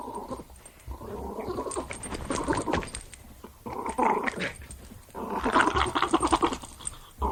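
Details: Playing Jack Russell Terrier growling in rough, rasping bursts, the longest stretches lasting about two seconds, with short gaps and a rising, more intense growl toward the end; faint whimper-like tones mixed in.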